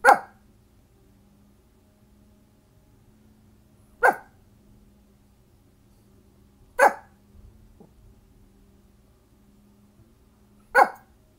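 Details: A dog barking at a garbage truck, single sharp barks spaced a few seconds apart, four in total, over a low steady hum indoors.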